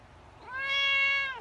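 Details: A pet cat gives a single drawn-out meow, steady and level, swelling in the middle before gliding down at the end, heard indoors.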